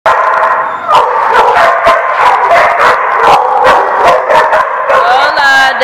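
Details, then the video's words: Several dogs barking loudly and continuously at a kennel, overlapping sharp barks spaced under a second apart, with some higher yips and a whining tone near the end; dense chorus fills the recording. "The Barking Lot"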